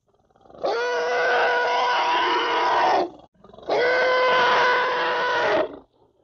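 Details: An African elephant calf voices two long, loud, harmonic calls in a row, each around two and a half seconds, with a brief pause between them; steady pitch with a slight upward sweep at the start.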